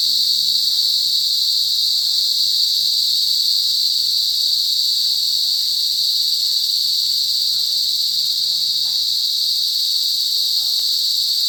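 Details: Cicadas buzzing loudly in a forest: a steady, dense, high-pitched drone that holds without pause for the whole stretch, with harmonic bands above it and nothing else clearly heard.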